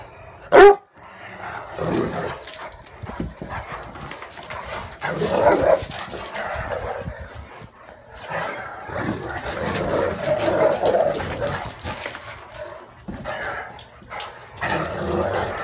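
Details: Male Great Dane defending his bed from his two sisters: a sharp single bark at the start, then long rumbling growls and grumbling vocalizations rising and falling through the rest.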